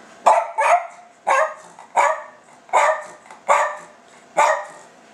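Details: Silky Terrier dog indoors asking for food, giving a run of short, sharp, high barks, some doubled, about seven in five seconds.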